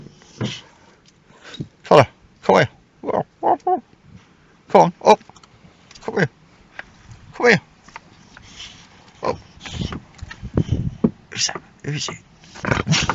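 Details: Boxer dog used as a car alarm, guarding a car: a run of short, sharp barks in uneven bursts, some rough and throaty, with a person calling the dog over the top.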